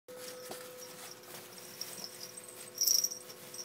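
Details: Ferrets fighting, filmed with an 8mm camera app: faint scuffling and soft rustles, then a louder burst of thin, high-pitched squeaks near the end of the clip, in a quiet indoor setting.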